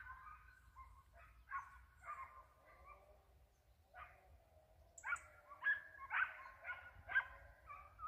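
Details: Hound out hunting a hare with a white head, baying in the distance: hoarse, harmonic yelps, sparse at first, then a quicker run of about five loud cries near the end, with low wind rumble underneath.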